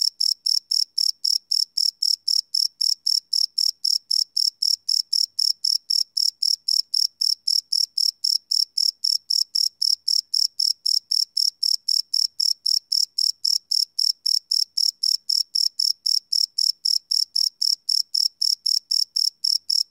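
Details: Live night recording of crickets made with a field recorder; a bright, piercing chirp repeats steadily about four times per second, uniform and unbroken, with no other sounds.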